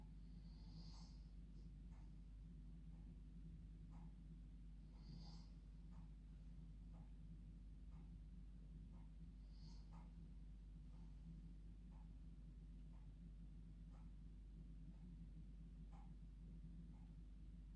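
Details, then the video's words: Sleeping female dog enjoying her bed at bedtime snores in a humanlike way, with rhythmic snuffly breaths roughly once a second and occasional brief whistling wheezes, against a constant low room hum. "Dog Snoring Like Humans"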